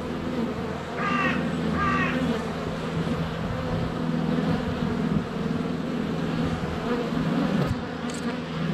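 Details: Honey bees in flight at the hive entrance on a sunny February day, with a GoPro Hero 7 Black under a foot away. A steady low buzz runs under two quick, rising-and-falling calls near the start, probably from chickens or birds.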